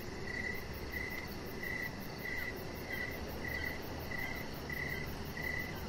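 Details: Crickets calling outdoors in the evening, about ten clear, sharp chirps in six seconds, evenly spaced, above a soft low rumble.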